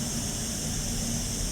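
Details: Small cicadas in Seville, Spain, around 10 a.m., give a continuous high-pitched sizzling buzz without a break, over low rumbling and a broad hiss, likely from the misting sprayers all around.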